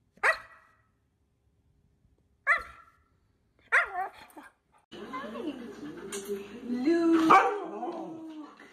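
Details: Domestic dog giving three short, sharp barks spaced a second or two apart, followed by a busier stretch where higher yelping cries overlap a person's voice urging the dog to come along, with music in the background.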